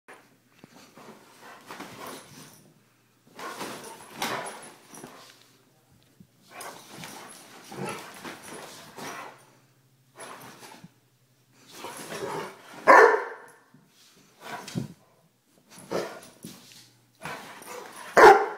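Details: A one-year-old Weimaraner, described as crazy, giving a series of irregular whining and grumbling vocal bursts indoors in a small room, short groups of sound separated by pauses, some louder yelps near the end.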